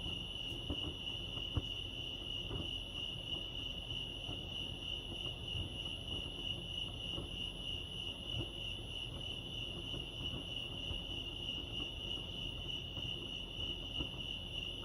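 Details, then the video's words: Steady chirping of crickets by Lake Arrowhead in California forms a sustained high ringing tone, with a few small clicks early on and gentle low ambient noise. "Serenity sounds crickets chirping lake arrowhead"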